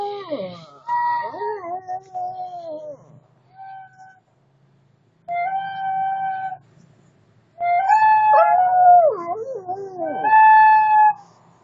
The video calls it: Singing shih tzu